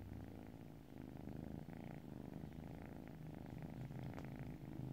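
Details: Calm kitty giving a constant deep purr, a low vibrating rumble with gentle rhythmic pulsing, close and soft throughout, nothing else clearly heard.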